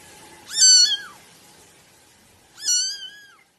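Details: Two high-pitched kitten meows, each long and clear, rising at the start and falling away at the end, separated by about two seconds of quiet.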